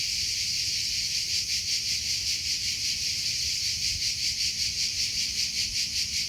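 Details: Shrill, steady cricket chorus in nature, evenly pulsed trills repeating about every 0.4 seconds over a few seconds, with a soft low rumble in the background.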